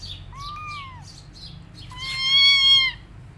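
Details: Rescued tabby kitten, one of several roaming without their mother, gives two clear meows. The first is short and level, then drops at the end. The second is longer, louder and rich in overtones. Faint bird chirps sound between them.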